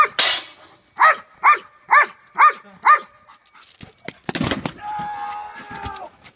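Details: Belgian Malinois named Boy, a hard police-style bite-and-hold dog, barking during car apprehension protection training with a decoy and a child. Six sharp, evenly spaced barks in about two seconds, then thuds and a car horn-like tone.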